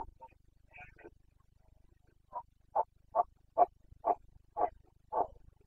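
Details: Red deer stag of the Carpathians bellowing in the Bucovina rut, September 2022: a few scattered calls, then a rhythmic series of seven short, guttural grunts, roughly two per second, steady in pitch.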